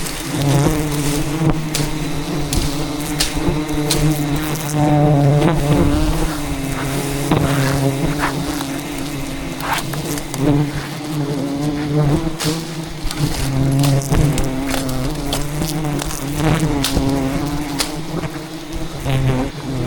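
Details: Rainforest wild bees swarming in defence of their colony as a giant hive is harvested; a sustained low buzzing drone from many insects, swelling and fading as bees circle nearby, mixed with crackles and handling noise.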